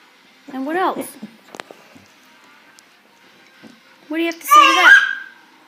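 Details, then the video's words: A dog named Cleo trades noises with a baby, Cole, at the dinner table, as if conversing: two bursts of arching, harmonic whine-like yowls, the second louder and more sustained, separated by a quiet gap with small clicks indoors. "Baby and dog talking to each other"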